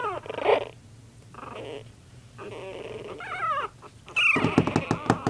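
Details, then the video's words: Playing puppies in a mock attack: low growls and grumbles in short bursts, a wavering whine, then a high squeal followed by clattering scuffling noises near the end. "When puppy's attack!"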